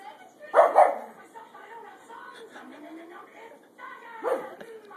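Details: A dog begging for bacon while watching TV; two sharp barks close together near the start, then a quieter stretch with voices, and one more bark near the end.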